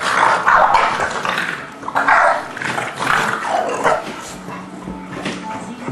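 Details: Play-fighting between an English Bulldog and Forest, a three-month-old English Mastiff pup: rasping, broadband growls come in several loud surges about a second apart, with little else heard.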